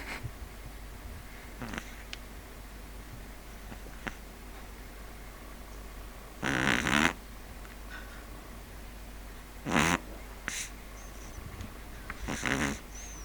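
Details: Sleeping Pug Neal giving a few loud, gravelly snorts spaced several seconds apart, with softer sniffs between them and a faint high squeak near the end.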